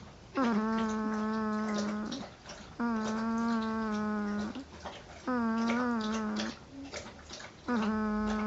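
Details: Sleeping female Northern Inuit puppy, 10 days old, snoring: four long, steady, nasal droning tones, each lasting about one and a half to two seconds, separated by short quiet breaths, pitch lifting slightly at the ends.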